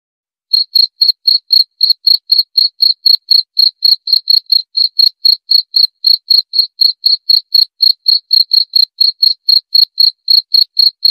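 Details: High, pulsing cricket chirps begin after a short silence and repeat about four times a second without a break, presented as sleep therapy and a natural rat repellent.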